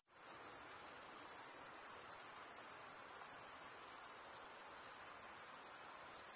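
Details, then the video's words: Crickets chirping, the sound made as males draw one wing over the serrated vein of the other; after a quick fade-in a continuous piercing high buzz-trill carries on evenly, with faint pulsing. "Most relaxing cricket sound"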